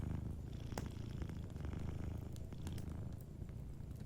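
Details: Soft, even purr of a cat asleep near a cozy fire, deep rhythmic rumbling with light crackling of burning wood above it.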